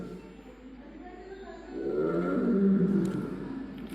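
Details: A recorded Royal Bengal tiger (Panthera tigris tigris) roar played at the Jim Corbett Museum: a deep, rumbling roar that swells up and holds for about two seconds in a large, echoing room.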